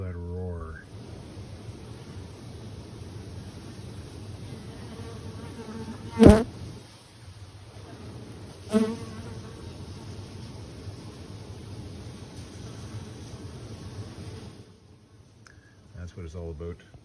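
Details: Honey bees, some 20 to 30 million of them, wintering inside a Canadian beekeeper's shed; a dense, steady low hum fills the space throughout, broken by two sharp knocks near six and nine seconds before fading quieter at the end.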